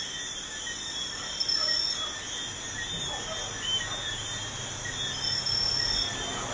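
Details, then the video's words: Crickets calling at night beside a busy highway: steady, shrill, high-pitched trilling in several continuous layers, with the constant low rumble and hiss of passing traffic underneath. "Crickets at night by a busy highway"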